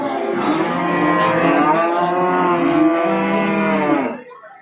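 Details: Long, steady bellow of about four seconds from cattle at Babat cattle market, Lamongan, East Java, Tuesday 29 September 2020. Strongly harmonic and even in pitch, ending abruptly into quieter market background.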